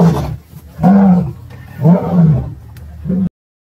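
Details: Wild lions fighting as a lioness attacks a mating male and female: low, harsh, moaning growls in four bursts about a second apart, rising and falling, then cut off abruptly.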